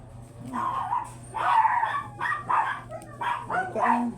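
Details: Booth, a chocolate-liver Shih Tzu stud dog at a kennel house, gives a run of sharp mid-pitched barks in quick bursts, about seven over four seconds, with a steady low hum underneath.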